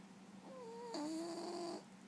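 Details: Sleeping rescue cat Scout at a sanctuary gives a soft tonal snore that slides gently downward, then breaks into a louder, fuller second part held for nearly a second before stopping.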